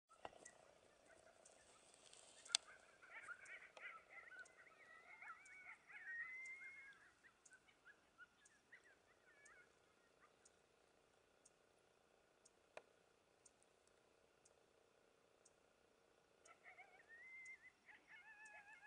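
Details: Coyote family yapping near the Algodones Dunes Wilderness Kiosk around 4am on a stormy night in the desert dunes; thin, high wavering yips and broken howls in bursts, fading mid-clip then rising again near the end, over a soft steady background hiss.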